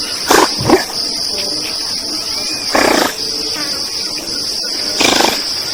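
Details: Giant otters calling as a group in Brazil's Pantanal wetlands: rough, broadband squawking bursts, some doubled, spaced two to three seconds apart beneath a steady shrill insect chorus.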